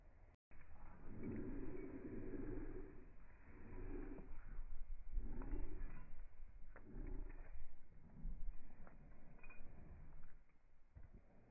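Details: Evo, a German Shepherd dog, happy to see its owners: low, moaning vocal bursts repeated roughly every second or so for several seconds, with indoor background rumble.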